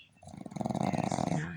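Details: A female Boston Terrier snores with her eyes still open, a low, fluttering rattle that swells and fades over a single breath.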